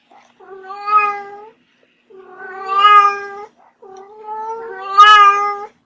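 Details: A playful pet kitten gives three drawn-out meows, each lasting over a second with a short pause between, rising in strength and ending with the loudest, brightest cry. The setting is quiet with no other sounds.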